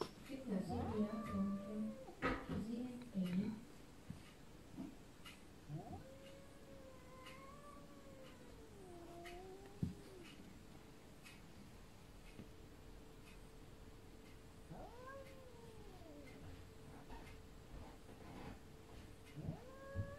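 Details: A visiting Sphynx cat at another cat's window opens with a burst of loud, low cries, then gives slow, scary, moaning meows that rise, hold and sag in pitch. A faint steady hum runs underneath.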